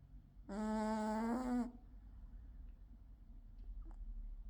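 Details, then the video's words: Sleeping British Shorthair tomcat Charlie, gold-coated, gives one loud, droning, nasal snore of about a second, followed by quiet, soft breathing. "Cat Snores Loudly"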